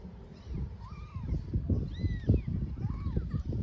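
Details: Stray mother cat hugging and licking her kittens in Istanbul; three or four thin, arched mews over a few seconds, partly masked by low thumping and rustling handling noise.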